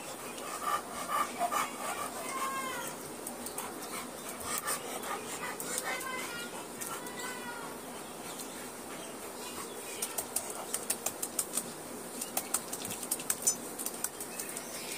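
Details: Neelu, a Labrador Retriever, whimpers during a bath with thin, high whines that rise and fall in short bursts. Sharp splashing clicks and soft human speech run through the scene.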